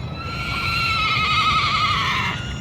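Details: Horse at the Naadam horse races on festival grounds in Mongolia, with many horses present; a long, quavering whinny with wavering tones lasting about two seconds, then fading, over low crowd and ground noise.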